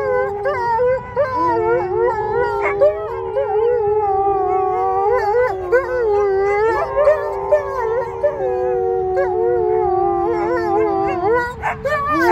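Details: Group of wolfdogs, United Kingdom, howling together with their human: overlapping drawn-out tones that waver and bend, harmonics stacked high, pitches gliding slowly downward then holding, a sharper yip-like break near the end.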